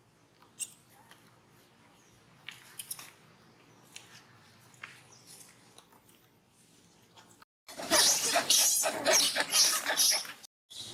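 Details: At Angkor Wat Park, the monkey Brady cries while the monkey Rose disciplines him for making trouble; faint clicks and rustling give way to a few seconds of loud, raspy, high shrieks in rapid, ragged pulses that stop abruptly.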